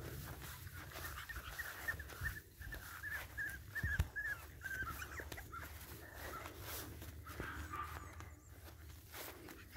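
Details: Boston Terrier puppies from one litter whimper and squeal in high, wavering bursts, densest around the middle, over a constant low background hum.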